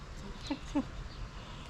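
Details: Mimi, a street cat, meowing loudly after seeing food: two short, clipped meows about a third of a second apart, with a woman's affectionate talk before and after.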